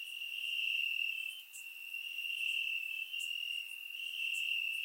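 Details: Night chorus of crickets in Bulgarian grass on a warm summer evening, surround-recorded: continuous shrill trilling on one high pitch, overlaid by brief sharp chirps from nearby individuals.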